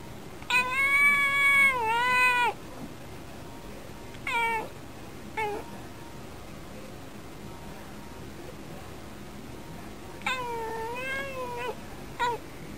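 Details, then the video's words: A female pet cat at the window, chatting back while her owner talks to cheer her up, makes several loud drawn-out meows with wavering pitch, some long and two-part, others short chirps, separated by quiet pauses indoors. "猫との会話 - Conversation with the cat."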